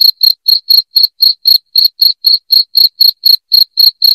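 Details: Shrill cricket chirps, each a short high-pitched burst, following one another evenly about four per second against a silent background.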